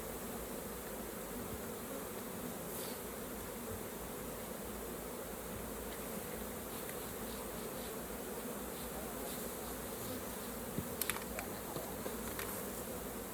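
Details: Unbroken low droning buzz from a crowd of honey bees at the hive during harvesting, with faint ticks and clicks late in the recording.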